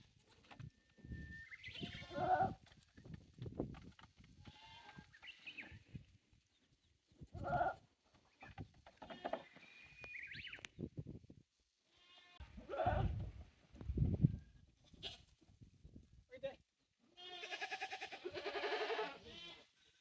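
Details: Goats at a handmade farm in Japan, 9 May 2024, playing on a newly built walkway with balance beam and narrow slope; loud, nasal, wavering bleats roughly every five seconds, the last long and strained, with scuffing and bumps in the gaps.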